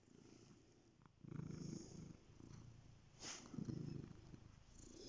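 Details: Domestic cat purring softly, a low rumbling pulse that swells in two louder bursts with quieter breathing-like gaps between, recorded close in a quiet room.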